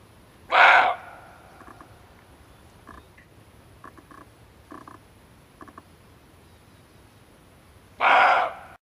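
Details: Male barking deer, a recording used as a lure for hunting: two loud, harsh, broadband barks about seven seconds apart, each roughly half a second long, with faint soft clicks and taps in the quiet gap between.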